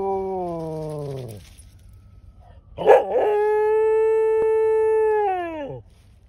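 A Pembroke Welsh Corgi howls in long, tonal notes that slide downward at their ends.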